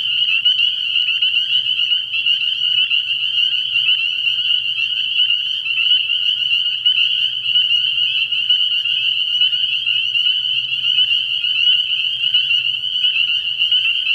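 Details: Night chorus of spring peepers at a frog pond in early year, a dense, even sheet of shrill overlapping peeps lasting throughout, over a faint low-pitched hum.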